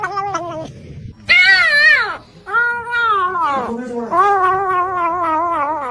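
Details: Indoor cat, coaxed with talk of eating, lets out long, loud, warbling meows that rise then fall, separated by short gaps; a low background hum and a human voice are faintly present.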